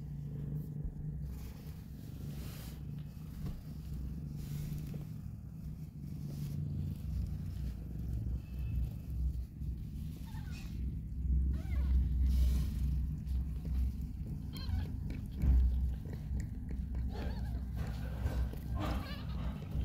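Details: A disabled street mother cat named Hope nursing two newborn kittens after their rescue. A continuous deep purr swells in loudness midway, with faint rustling and handling noise above it.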